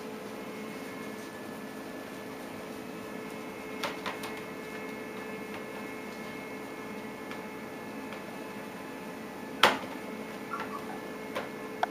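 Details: Quiet indoor room hum with a few faint clicks and knocks, with no animal calls.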